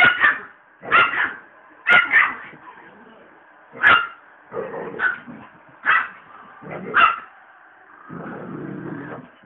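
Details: Feisty, possessive chihuahua squaring off against a pet pitbull indoors: a run of about eight shrill yaps and snarling barks at uneven intervals, ending in a longer raspy growl.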